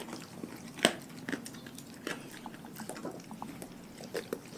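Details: Pack of dogs eating a raw food diet indoors: wet crunching and chewing with sharp bone cracks, one loud snap near the start and irregular smacking bites throughout.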